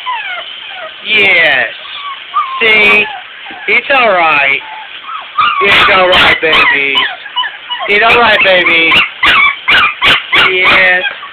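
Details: Bathing puppies protest with loud, wavering whimpers and sharp yips in bursts, some long and sliding, others clipped, with gentle human speech between them.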